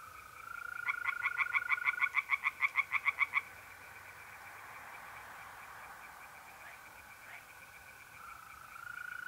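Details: A night-time pond in North-East Italy in the middle of April: tree frogs deliver one brisk burst of rapid, regular croaks lasting about two and a half seconds, then fall quiet, leaving a steady mole-cricket trill.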